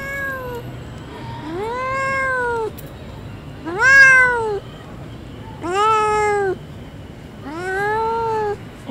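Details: Repeated cat meows, five long plaintive calls about two seconds apart, each swelling and sliding upward before easing down, the fourth strongest, over quiet background hum.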